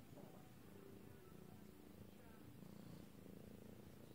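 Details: A lilac British Shorthair cat (Felis catus) purrs in a low, steady, continuous rumble; British Shorthair cat.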